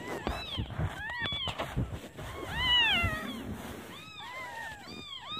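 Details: Newborn kittens calling their mother because they are hungry while she is out finding food; loud close mews, one long wavering cry in the middle, thumps and rustling handling noise around them.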